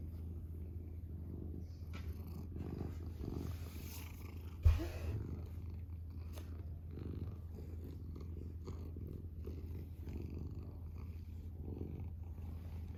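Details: Domestic cat, a male pet, purring steadily indoors; low, even rumble with soft rhythmic swells and one sharp thump partway through.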